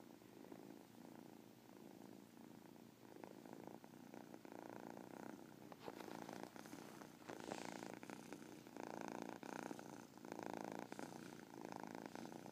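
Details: Domestic cat giving a continuous, pulsing purr with a chirp in it, swelling louder in the second half against some rustling noise.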